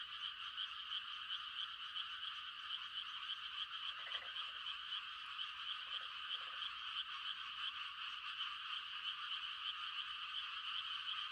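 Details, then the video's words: Massed frogs calling for mates on a hushed rural night in rice-planting season, a steady high trilling chorus broken by a few short, deeper pulsed croaks around the middle. "The sound of frogs on a quiet country night"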